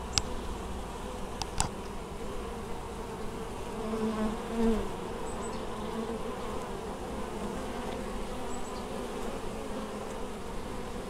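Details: Honey bees hard at work collecting honeydew at an apiary in Moszczanka, Opole Voivodeship, Poland, 19 August 2013; a constant hum of the colony, a louder bee buzzing past near the middle, and a few sharp clicks at the start.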